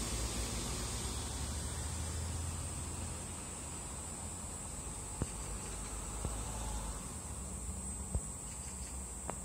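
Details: Cicada perched on a cherry tree, its continuous shrill hiss holding one high pitch from start to finish over a low rumbling background, with a few faint ticks near the end.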